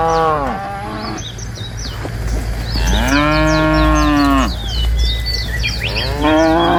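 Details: Tame cows in a herd of dozens, driven from the forest to the pen by a herder, moo three times: a short fading low at the start, a long arching moo mid-way, then another beginning, while birds chirp and twitter busily.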